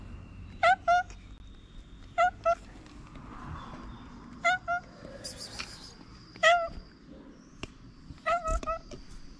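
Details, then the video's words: Hungry ginger stray cat on a street in Morocco, happy to see its feeder again, gives short paired meows about every two seconds, each rising then falling; a person softly calls "kitten" nearby. "Hungry ginger cat was happy to see me again."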